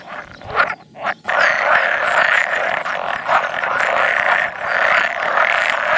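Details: Pool frog males, around 100, calling at a spawning site on 16 May 2017, an edible frog croaking at times; a few separate croaks open, then a steady dense chorus of nasal rattling calls.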